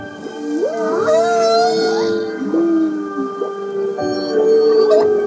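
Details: Humpback whale song chorusing recorded off Maui at one of six sites, studied after unusually low whale numbers from 2015–16: layered moaning tonal units with sliding upsweeps and sustained mid-pitched tones, faint high squeals above, possibly backed by music.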